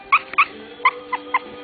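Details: A three-week-old female puppy just starting to walk, born November 25th to a black tri father and solid mahogany red mother, gives short high squeaky yips and whimpers, five brief cries, over a steady hum of background music.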